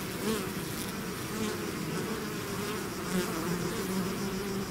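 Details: Short stretch of a bee swarm flowing out of its hive, a rich steady hum of countless wings with faint wavering tones as individual bees pass close.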